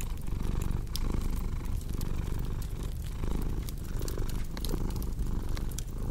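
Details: Low continuous cat purr, its rumble swelling and easing in regular breath cycles, set against frequent dry snaps from a crackling fireplace.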